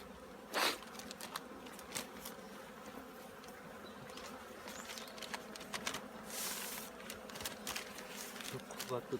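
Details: Honey bees at the Handari apiary preparing their colony for winter: a steady, low droning hum runs throughout, broken by sharp clicks and knocks and a few faint human voice fragments.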